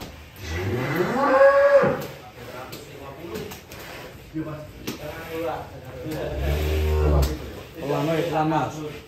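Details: Giant, a huge fat cow brought out after a long time indoors, gives one loud drawn-out moo that rises and then drops sharply. Men talk and laugh around it, with further softer lowing and background chatter.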